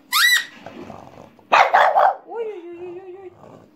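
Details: Female French Bulldog kept as a pet, joining in as a toy pipe is played: brief shrill pipe tone, a rough double bark, then a drawn-out whining howl that holds steady before fading.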